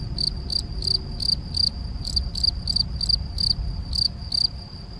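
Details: Male field cricket (Gryllus campestris) at Macieira da Maia, Vila do Conde, Portugal, 7 May 2021, recorded with a Canon PowerShot SX70 HS. Bright, high shrill chirps repeat about every third of a second, with low rumbling background noise.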